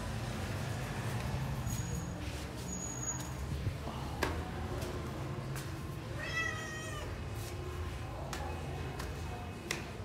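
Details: A lone leopard cat kitten, said to be feeling alone and missing its friends, gives one short, high, wavering meow midway, over steady low rumbling background noise and a few faint clicks.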